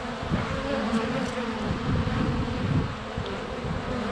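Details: Close-up hive entrance recording of honey bees in flight on a sunny February day via GoPro Hero 7 Black; thick, steady low droning buzz with bees brushing past, a few faint high ticks.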